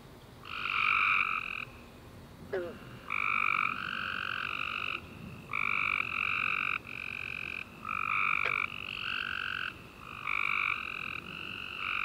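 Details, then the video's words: Tree frog chorus on a night following a warm, rainy summer day, several frogs giving overlapping buzzy trills in steady succession, each lasting roughly half a second, one after another with short pauses. "Tree Frog Chorus After A Warm Rainy Day - 10 Hours Tree Frogs Chirping You To Sleep"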